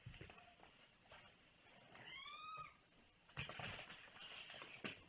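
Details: A single drawn-out cat meow arches up and then falls away in the middle, soft and tonal, with rustling and thumps from an indoor unboxing before and after.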